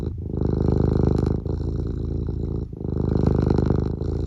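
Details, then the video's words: Eric, a pet cat, purring steadily with its tongue poking out; a low, rumbling, pulsed purr with a fine rapid beat, swelling in loud phrases broken by short breath pauses near 1.4 and 2.7 seconds, indoors. "Eric just has a purr and a blep for you today"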